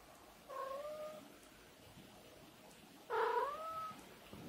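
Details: Pet cat whose call sounds like the Japanese greeting "ohayo" (good morning): two drawn-out, tonal meows, the first level and steady, the second louder with a rising then falling, slightly wavering pitch, in a quiet room.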